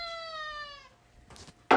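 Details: Tuxedo cat named Alfie talking to its owner, a long clear meow with a slowly falling tone lasting nearly a second, followed by two short knocks or thumps.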